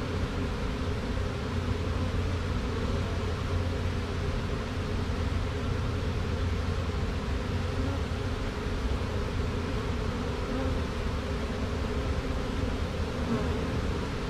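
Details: Honey bee swarm, caught from a tree branch with two queens, marching into a hive box; a steady low droning hum holds unbroken for the whole stretch, layered over a constant hiss-like wash.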